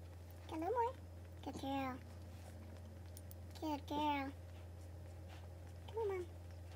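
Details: Boston Terrier during the labor and delivery of nine purebred puppies, born January 23, 2018, indoors. Four high, wavering, squealing whines with strong harmonics, some rising then falling, spaced over several seconds, with a steady low hum underneath.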